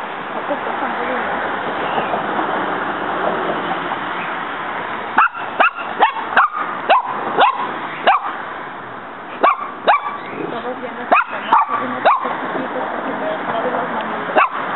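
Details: A female dog named Muñeca confronts a praying mantis in her yard, the bug fighting back; quick runs of sharp barks, several in rapid succession, then pauses, with human voices murmuring underneath throughout.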